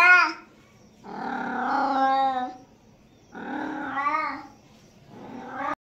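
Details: Cat meows used to attract cats: several drawn-out, harmonic meows, each about a second and a half long, rising and then falling in pitch, separated by short pauses, with brief clipped meows at the start and end.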